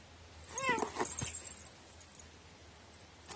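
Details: Domestic cat with an odd, idiosyncratic voice utters one brief bent meow near the start, followed by a couple of soft clicks and then quiet room background.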